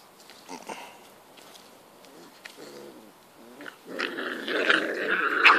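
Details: Five-week-old English Springer Spaniel puppies playing in a garden: soft whines and small grunts at first, then a rising, noisy stretch of squealing growls toward the end.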